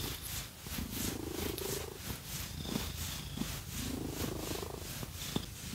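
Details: Purring cat being scratched, a quieter low hum partly covered by rhythmic, regular scratching strokes that repeat several times a second, with occasional small clicks.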